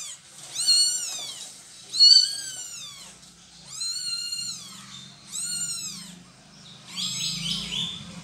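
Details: Domestic cat during a mother cat's moving of her kittens: five high, arching mews, each falling at the end, spaced roughly every one and a half seconds against a quiet background with a faint low hum.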